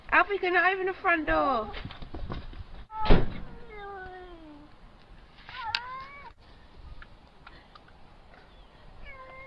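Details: Pet cats "talking" in a funny compilation: a wavering, quavering meow, then a long descending meow, a short rising one and a final brief mew, with a thump and low room noise between calls.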